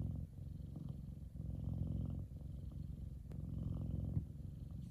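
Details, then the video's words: Sunbathing F2 Savannah cat Kumba purring: deep rumbling pulses, each breath a swelling purr roughly every second or two, with a faint tick partway through. "Big Savannah Cat Relaxing And Purring."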